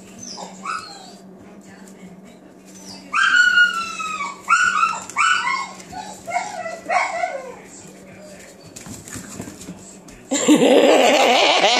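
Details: Seven-week-old Australian Shepherd puppies playing, a run of high, falling yips and squeaky barks in quick succession, then a loud rush of broadband noise at the end.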